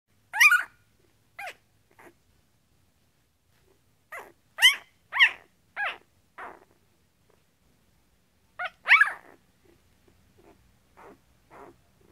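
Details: One-week-old Goldendoodle puppy from a litter of twelve, squealing in high, thin, chirping squeaks, in bursts of two to four calls with quiet gaps, some fainter squeaks toward the end.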